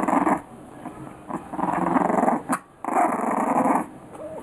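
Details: Young English Bulldog puppies at three weeks old growl while playing, gravelly rumbles rising and falling over a few seconds, broken by a short sharp click.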